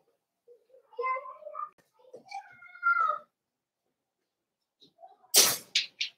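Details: Cavalier King Charles Spaniel puppies, four weeks old, in a home puppy pen during socializing with other dogs: several high, wavering whines with rising and falling bends, then a sharp sneeze-like burst and quick snuffles.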